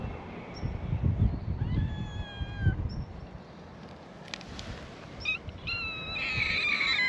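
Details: Free-roaming cats at a cat gathering on an island, greeting a visitor with a chorus of calls; several thin rising and falling meows overlap in the second half, with low rumbling handling noise early on.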